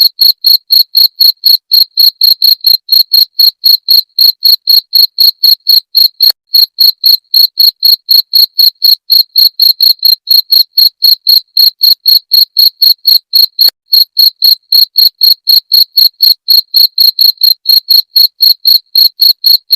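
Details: Cricket, known locally as jangkrik genggong, heard for repelling rats: a loud, shrill chirp repeated roughly four times each second in a regular, unbroken rhythm, clear against silence.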